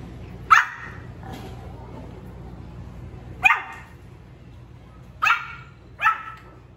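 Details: A young male Pomeranian pup, newly barking, lets out four thin, high barks at irregular intervals, with a weak extra yelp early on and a steady low hum throughout.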